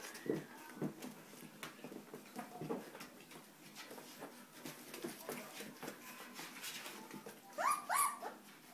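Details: Playful 3.5-week-old Australian Shepherd puppies with their mother joining in, a sound-socialization CD of school kids playing in the background; scuffling and clicks throughout, then two short, high, bending yelps near the end.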